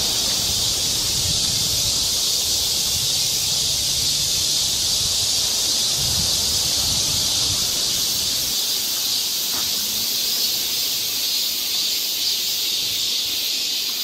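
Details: Summer cicada chorus on a forest trail in Seoul, Korea, a dense, unbroken, high-pitched buzzing hiss that holds steady throughout, with soft low rustling in the first half and one brief tick near the end.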